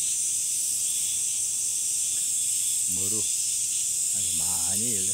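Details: Cicadas in summer droning in an unbroken, shrill, steady buzz, while a person speaks briefly twice underneath.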